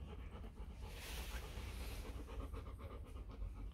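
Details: Four-day-old Rottweiler puppies from a litter of Vietnamese champion Loki Gervi and Faye, heard as soft, rapid breathy pulses with low rumbling handling noise underneath, and a brief airy hiss near the middle.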